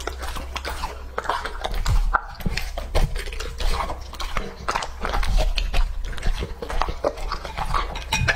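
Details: Lucky, a two-and-a-half-year-old male English-type Labrador, finishing a raw-meat meal: wet, sticky chewing and crunching bites in quick uneven bursts, recorded close in a small indoor room.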